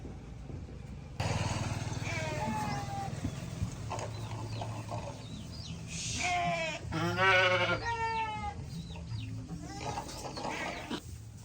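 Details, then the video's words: Flock of sheep calling together on a fine day: wavering, quavering bleats with strong harmonics, loudest burst near the middle, over a low rumble, with brief high chirps of small birds scattered through. "sheep sound"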